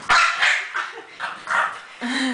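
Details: Two French bulldogs play-fight over a rope, giving a quick run of four or five harsh barks followed by a short, rising, tonal yip at the end.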